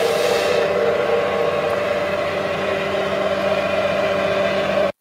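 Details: A steady mechanical hum like an engine or motor drones throughout, with no animal voice. The tone holds constant until it cuts off abruptly at the end.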